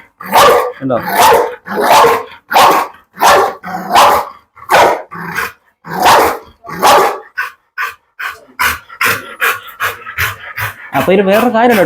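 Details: Barking of a pet pit bull described as ready to bite and tear: about a dozen loud, rough barks repeated roughly every second, fading to shorter, quieter yaps near the end.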